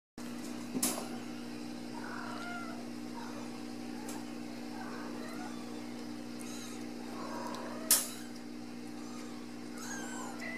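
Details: Ragdoll kittens raised in a home cattery in central Kansas, playing indoors; several short, thin rising and falling meows scattered through the recording over a steady electrical hum, with a couple of sharp knocks.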